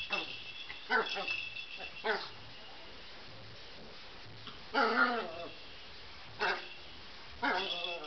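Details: Pet Chihuahua Colbie at play with a ball gives brief high barks and falling whiny yelps, widely spaced, with human voices murmuring between them.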